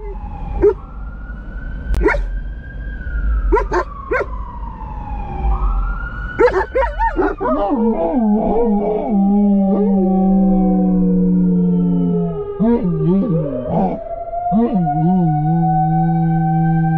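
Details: Two German Shepherds, Silas Roso and SGT. Elias, cruising through Albuquerque, New Mexico, begin howling as a firetruck passes: a falling siren wail first, then long, wavering, overlapping harmonic howls sliding downward and holding steady.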